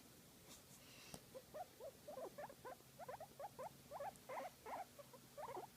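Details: Guinea pig enjoying a massage, giving a run of short soft squeaky chirps that come in quick uneven bursts and grow steadier toward the end, with a faint low hum underneath.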